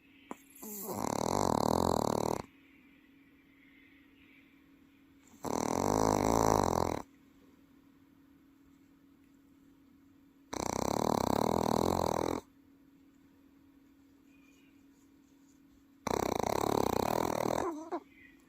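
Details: Welsh Corgi pet dozing at home in Paju, giving four long, raspy snores of roughly one and a half to two seconds each, spaced about five seconds apart, loud and throaty like an adult person snoring.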